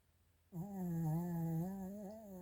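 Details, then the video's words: Indoor snore from Chiroru, a Maltese × Shih Tzu female born 2017-07-22: after half a second of quiet, a steady, low, humming drone starts abruptly and holds for about two seconds, gently wavering in pitch, rich and nasal, with no other sounds. "マルシーズー ちろる いびき"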